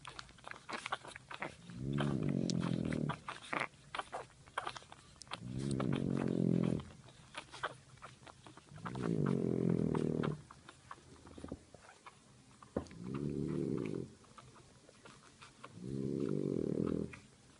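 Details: Napping French bulldog mother nursing puppies; five steady, low rattling snores, each about a second long, repeated roughly every three and a half seconds, with light clicks and rustles in between.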